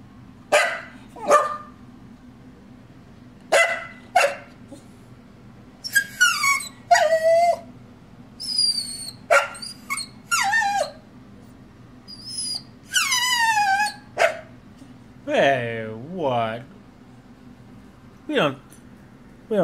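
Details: Female Whippet vocalizing "boo-rip" at home: sharp short yips, then wavering high yodel-like whines and rising-falling howly moans, several in a row, with a woman talking back between them.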